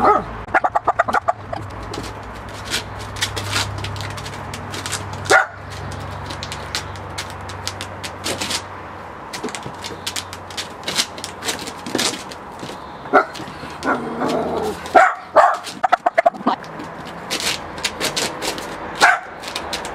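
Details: A Miniature Pinscher barking at a balloon gives sharp, scattered barks and yips among sudden clattering and rubbing noises.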